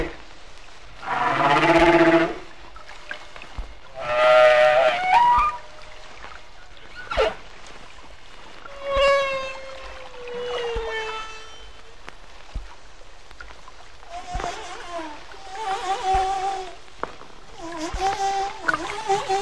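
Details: Humpback whale singing off Hawaii in shallow water, with fewer booming deep echoes than Bermuda recordings; varied units including low moans, sweeping whistles and a falling glide, separated by pauses, some faint later phrases.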